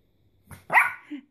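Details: A 12-week-old male Shih Tzu puppy, just after his first bath, answers a request to speak with one short, sharp, high bark. A faint softer yelp follows it.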